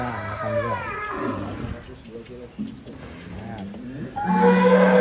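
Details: Giant cattle coming down from a truck at Bintang Tani Farm; low lowing under people talking and background music, ending in a louder sustained moo.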